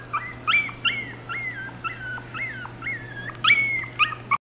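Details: A Chipoo dog, a Chihuahua-poodle mix, whines insistently. Each high note bends up and then flattens out, repeated about twice a second, with a few sharper yelps near the end. A constant low electrical hum sits underneath.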